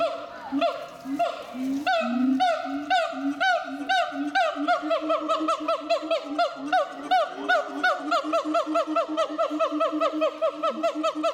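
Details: Siamangs at Chiba Zoological Park, 14 December 2014, calling loudly enough to draw visitors in an instant: a long run of rhythmic, rising whooping barks and hoots, repeated about twice a second, with overlapping voices and faint crowd sounds.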